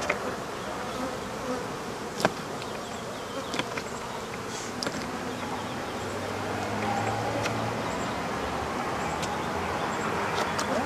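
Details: A mass of African honey bees in a hive under removal, giving a thick continuous hum of many wings, broken by sharp clicks and knocks from the work.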